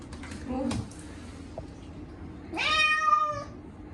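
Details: Chacha, a short-legged Munchkin cat, yowls loudly during his once-a-year bath, given on a hot day with catnip-scented cat shampoo indoors: a soft sound early, then one long, strained, harmonic-rich meow lasting about a second near the end.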